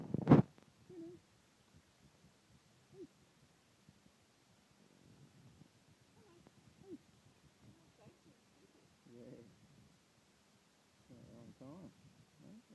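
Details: Boxer puppies from a litter of Jax's pups, indoors: soft, scattered squeaks and grunting whimpers in short bursts, with quiet stretches between them and a sharp knock at the start.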